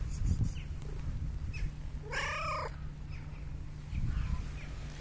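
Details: A very unusual cat that approached the recorder gives one clear meow, arching up then down, amid a steady low hum and faint handling noises.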